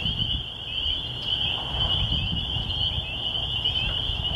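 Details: Spring peepers in the country in spring, heard near a church: many shrill peeps blend into one constant high chorus, some single notes standing out, over faint low rumbling.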